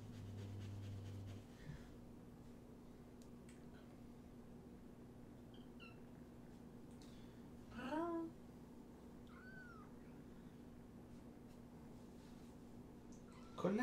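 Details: Kittens from a group of five, two litters surrendered in Tacoma and taken to Purrfect Pals, during a late-night socialization visit: a rising, wavering meow near the middle, a fainter one after it, and a last cry at the end over quiet room hum.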